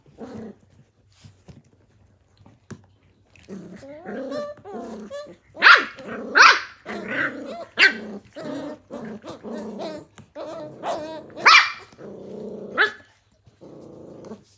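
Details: Blue Heeler puppies, Australian Cattle Dogs from the 2020 Willow and Tory litters, playing together; rough growls mixed with sharp yappy barks and squeals, bursts coming irregularly and loudest in the middle stretch.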